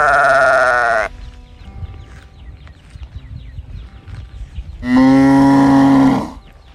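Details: Calf calling out while searching for its mother: two loud, drawn-out bleating bawls, each about one second long and separated by a quiet gap of nearly four seconds, with faint chirping in the background.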